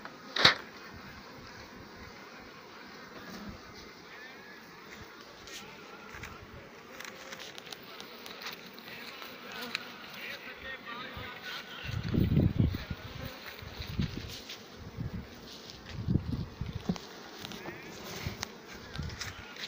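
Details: Western honey bee (Apis mellifera), wing buzz.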